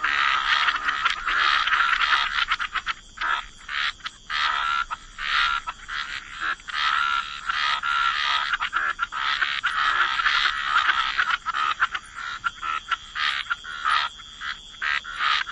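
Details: Wetland frogs in a dense waterside chorus: continuous overlapping raspy croaks with many short clicking pulses, hardly any pause throughout.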